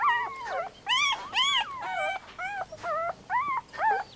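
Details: Puppy whimpering and yelping in a run of high, whining cries that arch up and fall back, about eight short calls in four seconds with brief pauses between them.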